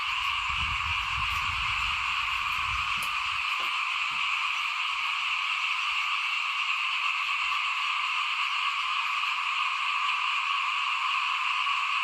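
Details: In front of a house in 2021, at the time rice is sown for planting, frogs keep up a steady massed trilling drone. Low rumbling thuds sound during the first few seconds.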